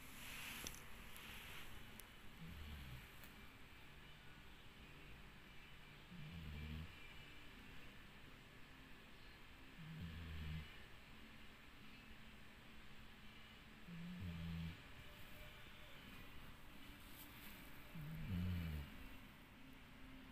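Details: Dixie, a dog, snores through twenty seconds: five or six short, low, grunting snores about every four seconds, with light rustling and soft hiss in a quiet room.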